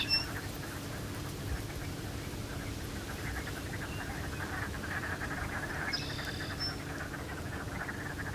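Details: In spring at Beaverhill Lake, Alberta, on a blustery day, a chorus of wood frogs in reawakening cattail beds keeps up a dense, duck-like cackling; a high whistled bird note cuts in near the end.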